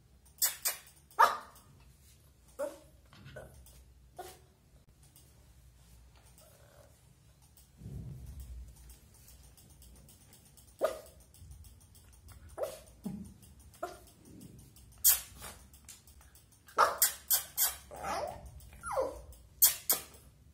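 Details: Young Lhasa Apso puppy indoors, excited and wanting to play but afraid to jump down from a bed, giving scattered short barks and yelps, with a burst of quick barks near the end.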